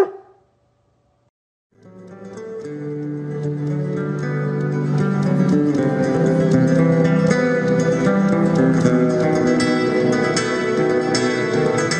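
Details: Plucked acoustic guitar music in a flamenco style starts after a short silence and builds steadily; no animal voice is heard.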